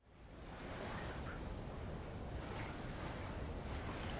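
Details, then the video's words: Insects on Avalau island, Kingdom of Tonga, heard from a rowboat off old lava: one steady, shrill, high-pitched buzz holds unbroken throughout, over a low rumble of light waves. "sound of light Waves on old lava and Insects"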